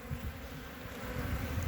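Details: A hive of honey bees on three frames, checked on 14 February 2021: a thick, steady low buzz of the crowded colony, unbroken for the whole moment.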